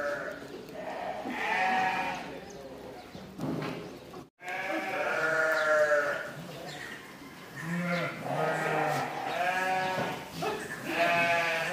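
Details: Several goats at Zaahi Goat Farm in Virar, Mumbai, a lodging and boarding farm, bleat at feeding time: overlapping wavering, nasal bleats of about a second each, following one another with barely a pause, with a brief silence partway through.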